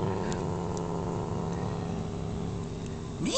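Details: Guarding her backyard-caught dragonfly, young Norwegian Forest Cat Mee Mee holds a steady, deep, buzzing growl for over three seconds without a break, ending in a brief rising squeak.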